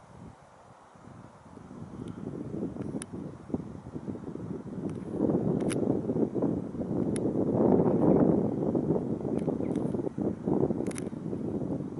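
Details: Steady wind rumble and broadband outdoor noise, with a few faint clicks and no clear animal calls.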